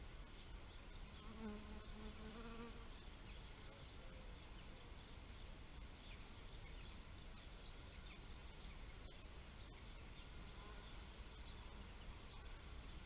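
A bee's low, droning buzz swells and fades, with soft bird chirps in the background.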